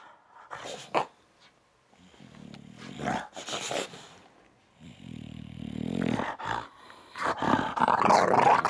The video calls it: English Bulldog Throwing a Tantrum